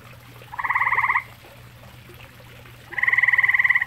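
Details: Grey tree frog calling at a pond shared with common toads: two pulsed, buzzy trills, each lasting under a second, with the first at the start and the second near the end, over a steady low hum.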